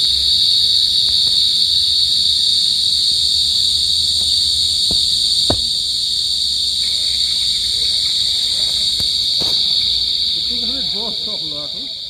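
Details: Pacific field cricket trilling continuously at a high even pitch, with a fainter lower buzzing tone joining partway through, a sharp click, and faint warbling chirps near the end.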